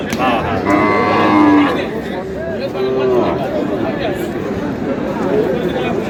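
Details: Cow lowing at a crowded cattle market in Aftabganj, a drawn-out harmonic moo near the start with a few shorter low calls after, over constant chatter and bargaining voices of a crowd.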